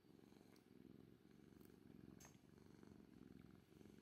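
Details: Continuous low, rhythmic purring from Kuri, an orange tabby cat, close and steady throughout with only faint clicks in the background.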